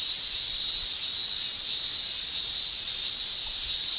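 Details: Japanese cicadas in summer, males producing tymbal song: a continuous, dense high-pitched shrilling drone that holds steady without breaks, with slight swells in loudness, and no other clear sounds.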